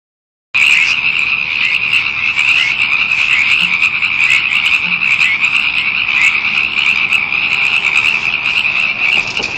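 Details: Frogs calling wildly in a dense chorus, a continuous high trilling band that never pauses, with a faint spoken remark about recording them.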